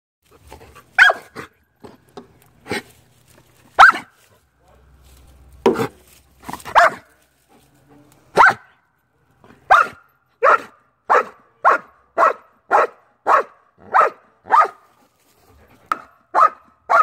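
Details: Dutch Shepherd in bark-and-hold training against a decoy. A few scattered, irregular barks and thuds give way to a steady run of loud, sharp barks, about one every 0.6 seconds, in a quiet setting.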